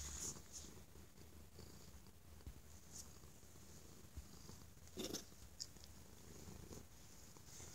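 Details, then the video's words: Very loud purring from a stray cat enjoying love and the safety of being inside; continuous deep pulsing rumble with occasional short scratchy noises, one sharper burst near the five-second mark. "the Stray Kitty Purrs Like an Jet Engine"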